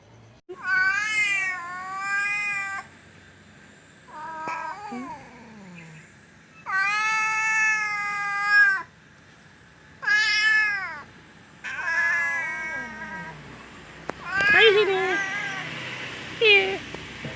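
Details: Stray cat near a house, called to by name, giving five drawn-out tonal meows of one to two seconds each, some falling at the end, separated by short quiet pauses.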